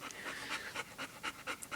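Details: Mother dog beside her pups on January 2, 2011, panting fast and steadily, with about eight quick breathy pulses in under two seconds.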